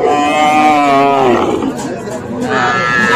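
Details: Young cattle, small bulls and heifer calves of Sahiwal type, at a market in Cumilla, Bangladesh, on 13 September; a long harmonic moo sliding downward, then a second rising moo, with people talking nearby.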